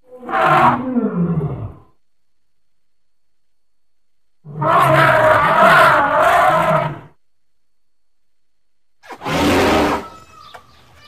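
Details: Elephant calls in three loud bursts separated by silence: a short harsh blast sliding downward, a longer rough, brassy bellow of about two seconds, then a sudden shrill, noisy trumpeting blast.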